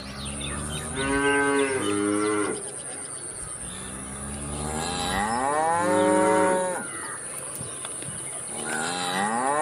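A cow gives three long, rich moos, each swelling and fading over a couple of seconds.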